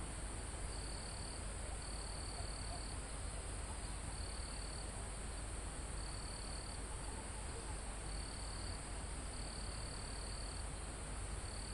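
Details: Mountain forest crickets and insects, recorded live near the summit: regular piercing trill bursts, each under a second, recur throughout over an unbroken high-pitched insect buzz and a low wind rush in the leaves.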